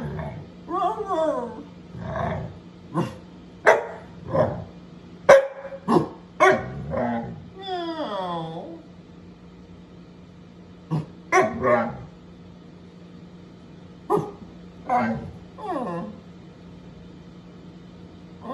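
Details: Pet dog from a compilation of short dog clips, barking and whining in bursts: sharp barks with falling, whiny howl-like tones, several loud yelps around the middle, then a quieter pause before more barks and whines; a steady electrical hum underneath.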